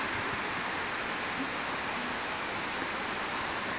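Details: A steady, broad rushing noise like falling water or wind fills the recording, with no animal call standing out.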